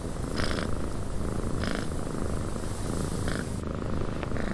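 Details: Steady low purr of a cat in a cabin with wind outside; the rumble stays constant while short airy bursts of noise recur at intervals of about a second and a half.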